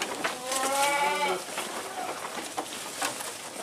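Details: A hungry, greedy-feeding goat lets out one quavering bleat lasting about a second, then falls silent while clattering and rustling feeding noises continue.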